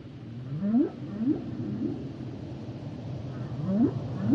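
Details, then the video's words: Humpback whale song with a run of short upswept cries, each rising sharply and repeated about every half second, over a continuous low underwater rumble; a pause in the middle before two more rising cries close the sequence. "Sounds and Songs Of The Humpback Whales"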